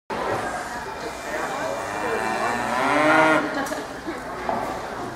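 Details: Champion Chianina steer at the Badger Kick-off 2012 livestock show, day two; one long harmonic moo rising and swelling around its middle, heard over a steady hall murmur and distant voices.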